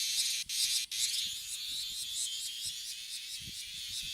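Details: Bear cicada singing from a tree in a park in the Kansai region of Japan, where many perch on the trees: a dense, loud, high buzzing chorus that runs without a break, pulsing rapidly, with two brief drop-outs near the start.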